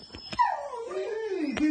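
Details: Shiba Inu Kuri, wearing a family member's outfit and impatiently awaiting his return home indoors, gives a single drawn-out whimper that starts high and slides steadily downward over about a second, with faint clicks around it.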